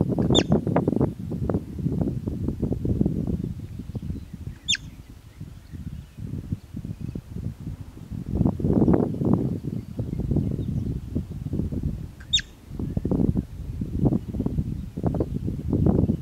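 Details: Three abrupt, shrill whistles from a bobak marmot, spaced irregularly, each a quick falling chirp, against constant low-pitched wind buffeting and rustle.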